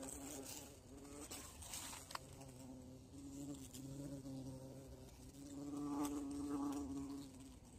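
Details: Bee caught in the bush during an insect hunt, giving a continuous, steady buzzing drone that swells louder toward the end, with occasional ticks and handling noises.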